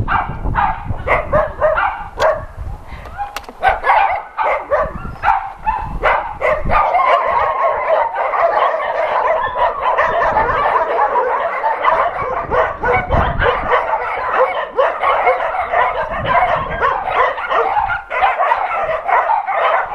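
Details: Many shelter dogs at an adoption center barking together as an NRK TV crew visits, a dense continuous chorus of overlapping yips and barks from several voices, growing steadier and louder after the opening seconds.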